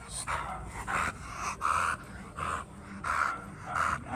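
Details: American Bully, a large dog breed, heard in a breeding setting: loud rhythmic panting in short breathy bursts, roughly one every two-thirds of a second, six bursts in about four seconds, with low background rumble.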